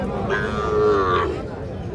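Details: Young Sahiwal calf at Ambari cattle market, Parbatipur, Dinajpur, on 31/1/26, giving one drawn-out, nasal, harmonic moo lasting about a second, rising slightly then falling, amid men bargaining over prices in the background.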